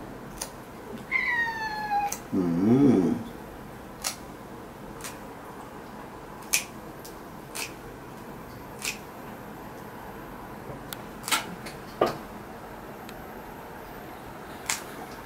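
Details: House cat protesting a claw trim, giving one falling meow followed by a low, wavering growl-like yowl, then quiet broken only by sharp, scattered clicks.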